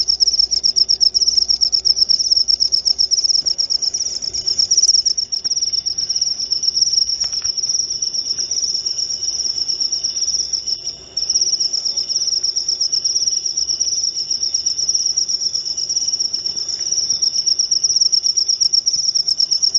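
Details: A cricket keeps up a shrill, steady pulsed trill for the whole stretch, presented as a way to drive rats off and as a lure call, with one brief dip near the middle.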